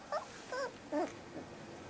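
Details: Puppies twenty days old at play, giving three short, high whimpering yelps in quick succession, each wavering and bent in pitch, against a faint room hiss.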